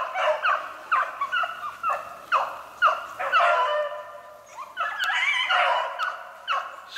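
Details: Hunting Beagles trailing a snowshoe hare on 3/8/16 give a steady string of separate, sliding bays about twice a second, then run into a denser overlapping chorus near the end.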